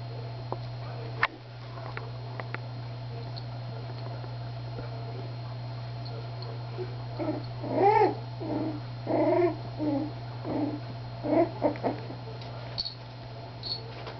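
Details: Three-week-old Miniature Schnauzer puppies playing indoors. A cluster of short, high, whiny yelps and squeals comes in the second half, several in quick succession, over a steady low electrical hum.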